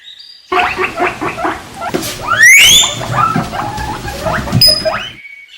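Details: A guinea pig (Cavia porcellus) gives quick repeated squeaky chirps, then one high whistle that sweeps upward.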